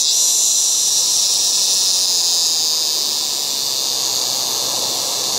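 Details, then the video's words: Cicadas in an August yard make a loud, continuous, high-pitched electric buzz that holds nearly steady and fades slightly toward the end. "LOUD AUGUST YARD CICADAS"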